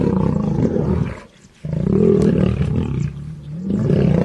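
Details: Roaring lion from Serengeti National Park: a rough growl, a silent gap around one and a half seconds, then a longer deep roar and a final rising snarl.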